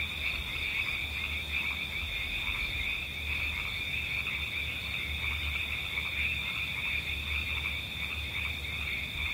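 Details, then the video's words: Frog croaks repeat in short rapid pulses throughout, set in a nature soundscape. A constant high buzzing band of crickets and insects runs on top, with a low wind rumble beneath. "Frog Sounds"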